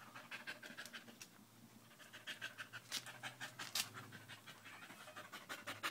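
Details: Danco the dog, clinging to a person's leg on 05.08.2013, breathes in fast, uneven, hissing pants around three per second, some puffs louder and sharper than others.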